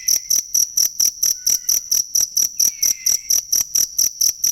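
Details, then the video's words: Chirping cricket, offered as a tutor sound for songbirds: shrill, evenly timed pulses about four per second, plus a faint thin whistle and a soft falling note in the background. "ASLI SUARA JANGKRIK BUAT MASTERAN BURUNG"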